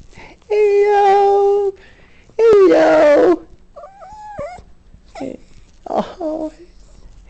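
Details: A dog that sees poorly whines and moans indoors as its owner comes home at lunchtime to let it out: two long, steady, harmonic moaning tones, then softer wavering whimpers, with a person repeatedly saying hello.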